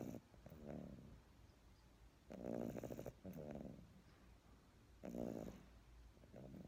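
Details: A pet dog snoring while asleep in a person's arms indoors: slow, rough rasping breaths with pulsed grainy texture, each snore lasting about half a second and recurring every two to three seconds, quiet pauses between.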